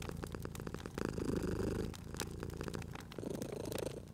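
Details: Cozy spring scene of a domestic cat sleeping by a fireplace, purring steadily. A low, vibrating rumble grows louder for a breath, eases, then returns, while crisp pops and crackles of the fire punctuate it.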